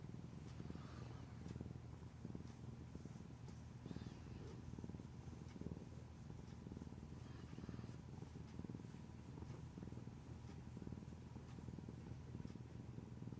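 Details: Affectionate, clingy pet cat purring indoors: a steady low rumbling purr with rhythmic pulses of breath throughout, quiet and continuous with no other clear sounds.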